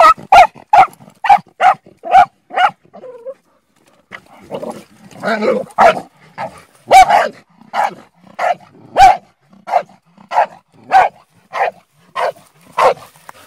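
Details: Hunting Bull Terrier barks in a quick run of sharp barks, pauses briefly amid some softer scuffling, then keeps up a steady string of loud, rough barks about twice a second.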